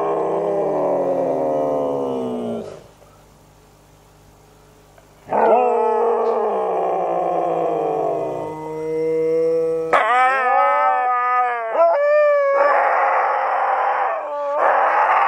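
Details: Pet Siberian Huskies in a night chorus, the pack howling together: long harmonic howls sliding downward, a pause, then several dogs joining with wavering rising and falling howls overlapping one another.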